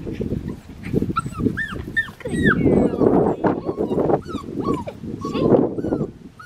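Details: Black tri female Australian Shepherd puppy giving high, arching whimpers in short bursts, some in quick pairs, over a steady low rumble of handling noise and background talk.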